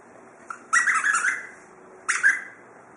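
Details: Gogo, a 9-week-old Chow Chow puppy, playing with a cardboard box; two short high squealing yelps with a bright upper band, the first long and wavering, the second brief, over a quiet room.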